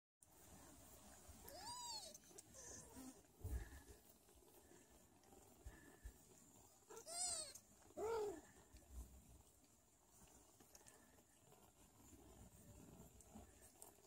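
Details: Sphynx mother cat, nursing and caring for her young kittens, gives a few short meows that arch up and fall, spaced several seconds apart; Sphynx cat.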